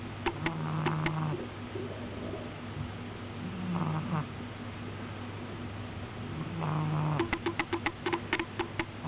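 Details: Deep asleep, the cat Miina gives three soft, low snores spaced about three seconds apart, each a brief buzzy drone with breathy rasp, followed by a burst of quick clicks near the end.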